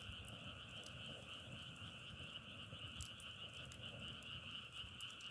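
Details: Frogs calling together in a continuous high droning trill that never pauses, with occasional sharp clicks and crackles and a low rumble underneath.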